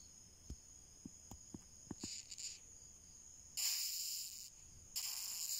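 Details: An Asiatic rhinoceros beetle (Oryctes rhinoceros) gives harsh, hissing, screaming rasps after a few soft clicks.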